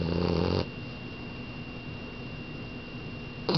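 A French Bulldog snores with low, rattling, buzzy breaths spaced about three seconds apart.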